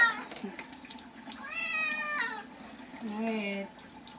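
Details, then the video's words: Bath-time cat protests with a drawn-out meow that rises then dips, followed by a shorter, lower moan, over trickling water and small-room echo. "Cat bathing videos"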